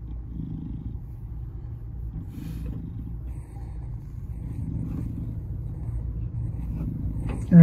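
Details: Salem, a 2.5-year-old black male shelter cat, FIV+, given up by his owner, at Baltimore County Animal Services in Baldwin, Maryland, 07/02/2022; steady low rumbling purr throughout, with a man speaking softly to him and a sharp noise at the end.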